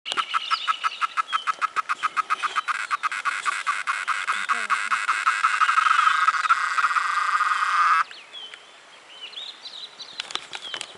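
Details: A cicada sings in San Marcos Sierras, Córdoba: rapid ticking pulses that speed up into a loud, steady buzz before stopping abruptly.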